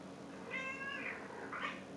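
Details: Talkative pet cat indoors giving two short meows, the first a steady harmonic mew, the second a brief rising-falling one; low room hum beneath.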